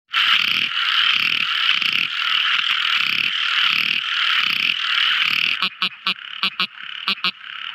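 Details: Tiny frogs singing at night: a dense, steady chorus of buzzy trills pulsing about twice a second, then a series of sharp separate clicking notes near the end.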